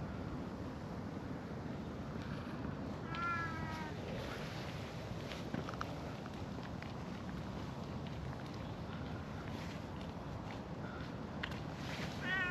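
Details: Stray cat in a park alongside two elderly cats and a brown tabby: a single wavering meow about three seconds in and a brief rising meow at the very end, over steady low outdoor rumble.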